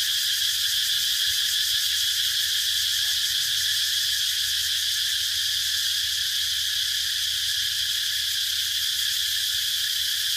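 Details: Sustained cicada song, a bright, intense buzz with subtle rapid pulsing that never stops.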